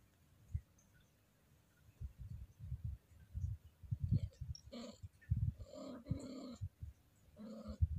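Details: Scottish Fold cat in heat, moaning in her throat as she is lightly stroked: soft low pulsing grumbles, then three nasal, harmonic moans, the middle one longest and wavering.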